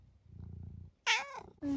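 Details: Eric, a nearly 12-year-old long-haired tabby from the UK, recorded indoors in October: a soft low rumble first, then a sharp bright meow and a short squeaky call at the end.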